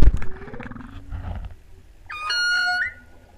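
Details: Humpback whales sing off Hawaii's Big Island, recorded while freediving at the 2015 spring equinox total solar eclipse, opening with deep rumbles and a slow rising moan, then a bright, reedy tonal note that swells and lifts sharply upward before fading.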